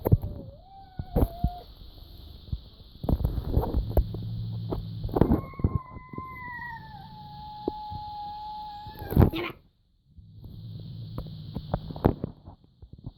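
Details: Cat producing a peculiar noise: a short wavering whine, then a sustained thin tone of about four seconds that drifts slightly downward. Loud bumps and handling noise interrupt, over a constant hum.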